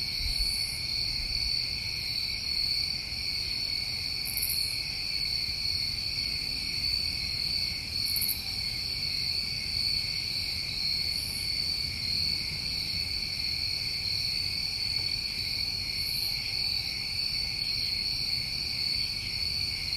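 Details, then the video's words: Crickets of a New England summer night form an unbroken high-pitched trilling drone, layered in two bright bands, with short higher chirps every few seconds and soft low background noise. "Over 1 Hour Of Tinnitus Masking With Crickets"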